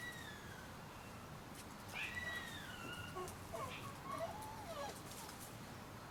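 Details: Thirty-day-old Shiba Inu puppies give faint, thin whistled whines that slide down and wobble, several overlapping in quick succession around the middle, over a steady background hiss with soft clicks.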